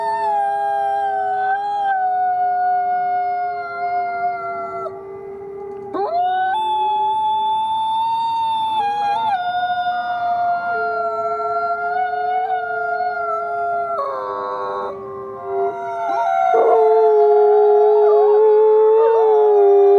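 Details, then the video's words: Wolves howling together, several long, steady, overlapping tones held at different pitches, some voices sliding up or down and breaking off before new howls start, layered into a dense chorus. "WOLF SOUNDS! What is the sound of wolf?"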